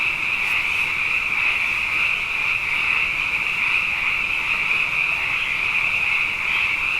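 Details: Abundant frogs calling at night after two wet years in a row, a dense unbroken chorus of high trilling and ringing notes with a lower hum beneath, steady throughout like a sound bath, no other sounds standing out.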